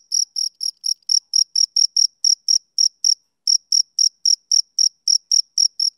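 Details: High, shrill chirps from a male cricket on a summer evening. The pulses repeat about four times a second, with a short break near the middle before the rhythm resumes. No other sounds are heard.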